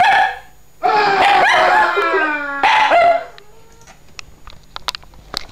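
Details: Dog howling along with sound effects: a short wail, then a louder drawn-out howl sliding slightly downward and a second brief howl, followed by quiet with scattered clicks and taps.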